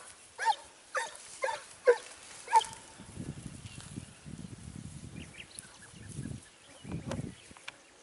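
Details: Segugio Italiano on a hare hunt at Sofiko in Evros, 29 May 2019, giving four quick, bright barks about every half second before falling silent amid rustling footsteps and brushing vegetation.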